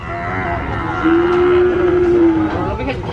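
A cow gives a long, steady, low moo lasting over a second.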